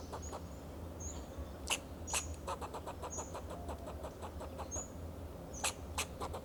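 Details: Alarm calls of a fox squirrel on a Monterey pine tree, Del Monte Forest, California, defending itself and its territory. A quick run of harsh barking chucks comes mid-clip, set against thin high chirps and a constant low rumble.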